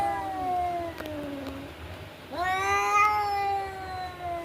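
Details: Cats fighting, giving long drawn-out yowls: a wavering, slowly falling howl, then a sharp rising wail that holds steady and strained for about two seconds.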